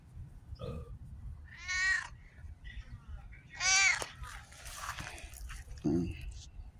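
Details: Cat missing its tail, on a repeat visit in October, giving two high, drawn-out wavering meows a couple of seconds apart, with a person speaking softly nearby.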